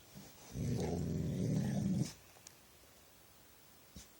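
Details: Dog making weird sounds at nothing late at night: one steady, low rumbling growl lasting about one and a half seconds, then quiet with a faint click near the end.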